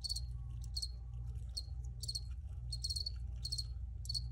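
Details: Cricket chirps come as short, sharp high trills, some doubled or tripled, spaced irregularly over a few seconds above a steady low rumble.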